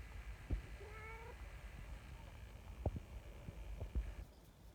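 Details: Community cat meowing as a signal that quickly gathers an affectionate trio of cats onto a bench; one drawn-out, slightly rising meow about half a second long, then scattered soft taps and rustles against low background rumble.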